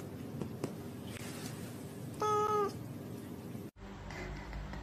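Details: Pet cat lets out a single flat, steady, tonal meow lasting about half a second over low background hum.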